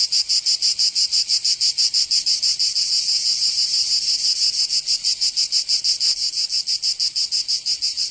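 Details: Summer cicada chorus from Provence in southern France, a shrill continuous buzz throbbing in rapid regular pulses, roughly three per second, swelling slightly louder toward the end.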